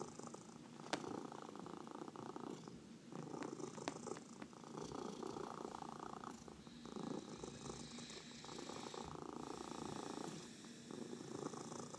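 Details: Cat purring during a massage, a dense even rumble sustained across twelve seconds with slight breath-timed swells and occasional sharp ticks from movement.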